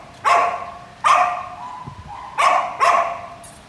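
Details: Samoyed giving four sharp, bright barks, two spaced about a second apart, then a close pair near the end, over light background hiss.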